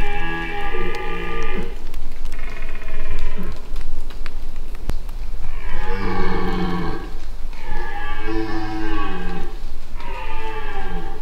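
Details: Dominant red deer stag bellowing during the rut in the Massif de l'Aigoual, France, 2024, uncertain of a nearby observer but unable to scent him downwind; five long, deep, harmonic roars, each one to two seconds, separated by short pauses.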